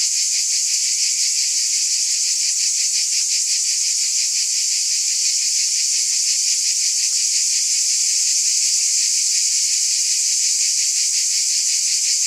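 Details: Cicadas in a continuous, dense high buzz with a steady, faintly pulsing shimmer, about three pulses per second, unbroken and even in loudness throughout; no other sounds.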